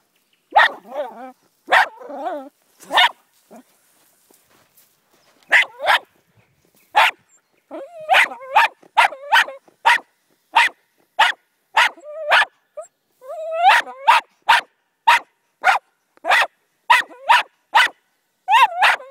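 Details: A Jack Russell Terrier confronting a snake, urged on by people, barks sharply and rapidly in short yappy bursts coming in quick runs.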